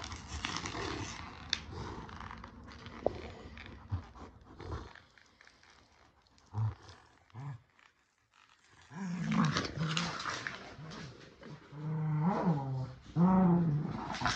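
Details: Kumo the Keeshond and Sully the Boston Terrier play tug of war with their shark toy; low rumbling growls come in bursts separated by a quiet stretch, rising to louder, throaty snarls near the end.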